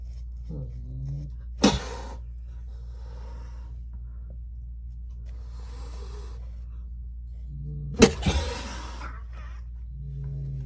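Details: Angry mother cat kept indoors in a bathroom with her kittens, hissing and swatting at a helping arm; two sharp broadband hisses about six seconds apart, with low growly murmurs between them in a small room.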